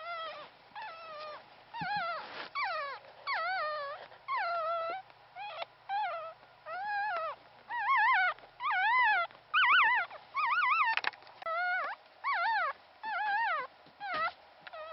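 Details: Newborn Pomeranian puppy, sole survivor of a first litter of three, its father a Pomeranian and mother a part-Pomeranian mix; high wavering whimpers and squeals repeated roughly once a second, each a rising-and-falling wobbly cry, steady throughout.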